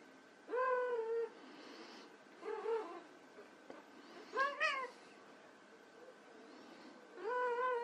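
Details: White Persian kittens at play give four clear, tonal meows, each rising then falling and lasting about half a second to a second, spaced a couple of seconds apart against a faint steady hum.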